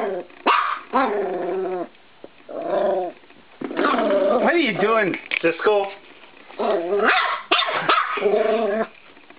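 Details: Playful 13-week-old Norfolk Terrier puppy tussling with a spring door stop in a bedroom: mixed yaps, whiny growls and wavering grumbles, interrupted by an owner's amused voice.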